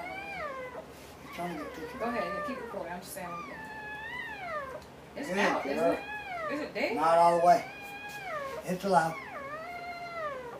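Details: Laboring Dobermann giving birth to puppies indoors, crying in repeated arched whines that climb and fall, some strained and broken, with a person talking encouragingly over them.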